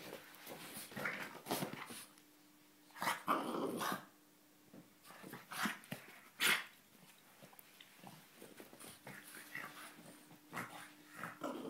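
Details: Chuck, a playful French Bulldog who barks only when playing or startled, gives short, gruff barks and growly huffs in bursts while playing.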